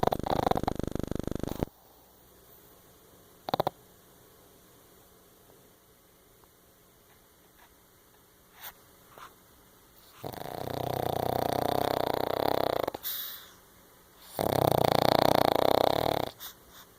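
A Pekingese snores in long, loud, rasping bursts separated by quiet pauses.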